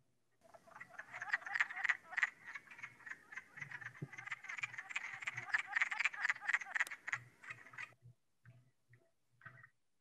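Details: Wood frogs in a West Virginia wetland, the first frogs to emerge and lay eggs, sometimes with ice still on the pond, their calling a first sign of spring: a dense chorus of short clucking croaks that thins to scattered calls near the end.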